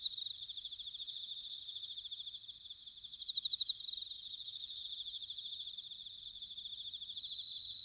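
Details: Autumn chorus of bell crickets recorded in Sanuki, Chiba Prefecture, Japan: a continuous high shimmering drone of many insects, with one nearer cricket giving a short, sharp pulsed ringing burst midway and faint low rumble beneath.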